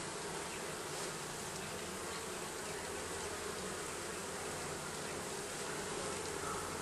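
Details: Under the roofing, a mass of bees hums in a thick unbroken drone, even in loudness from start to finish.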